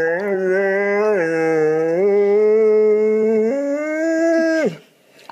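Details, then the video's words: Pet dog 'talking' indoors: a long, sustained, tonal howl that holds an even pitch, then steps down, back up, and rises again, sliding off at the end after nearly five seconds, followed by a brief silence. "หมาพูดได้ ดูไปมึนไป Funny Dog Talking"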